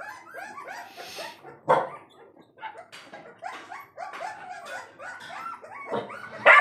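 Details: Saint Bernard puppies at an Azamgarh pet shop whining and yelping in high, falling squeals, with scattered short barks and a few sharp clattering noises.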